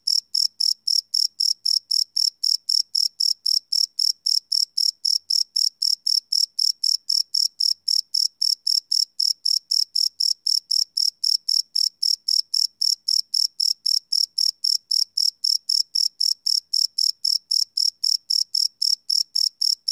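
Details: Crickets chirping at night, live field recording without loops; a long run of sharp, high, evenly timed chirps at about four per second, steady in loudness throughout, background otherwise silent.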